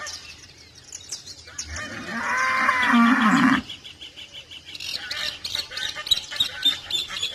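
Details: Cow mooing on a farm: one drawn-out, harmonic moo of nearly two seconds, steady in pitch and then cut off sharply, followed by a chorus of chirping birds in the background.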